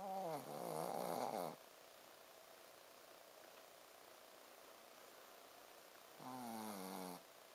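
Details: Sleeping Shih Tzu Ponzu snores 'buu, buu': two rasping, droning snores about five seconds apart, the first longer and louder, each a buzzy harmonic rumble that stops abruptly, with near-silence between.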